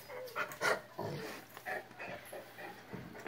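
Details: Niky, a Rottweiler x Akita cross dog, at an autumn dog-training camp in Zbraslav near Brno, Czech Republic, in a small pub on 20 October 2016; rapid, breathy bursts of panting repeat unevenly over low room noise.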